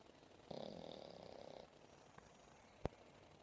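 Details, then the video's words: A sleeping seven-month-old female English Bulldog named Momo, resting on a lap after playing, lets out one rough, buzzing snore over a second long, followed by silence and a single sharp click. "My English bull dog ,she snores like crazy..."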